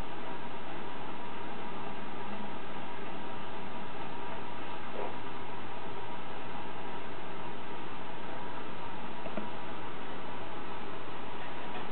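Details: Steady broadband hiss like a fan or engine fills the whole stretch, cut off sharply above the upper-mid range, with no animal voice heard.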